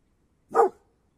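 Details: Mountain Cur, an American hound breed, giving one short, sharp bark in otherwise quiet surroundings.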